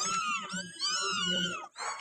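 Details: Office kittens, one of four left there during the Eid holiday break, give a continuous run of thin, high, drawn-out mews that rise and fall, with a short breathy pause near the end.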